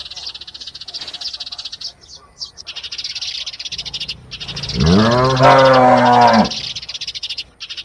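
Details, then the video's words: Calf giving a single drawn-out moo of about a second and a half, low and harmonic-rich, rising then falling slightly, over a steady high hiss and faint background noise. "animals, funny sounds: calf"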